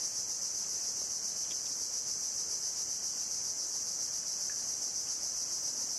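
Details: Cicada singing in mangroves on the coast of Bako National Park, Sarawak, Borneo, Malaysia, on 17 February 2017. The song is an unbroken, high, hissing drone that holds steady throughout, with faint background noise.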